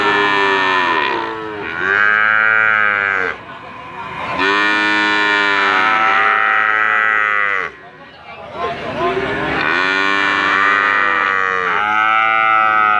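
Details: Calf with a sweet 'hehan' voice, mooing in long arched harmonic bawls roughly every two to three seconds, with short quiet gaps between calls.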